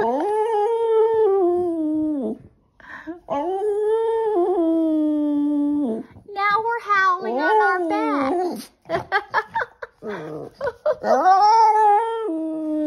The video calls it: Skipper the Boston Terrier howls for belly rubs😁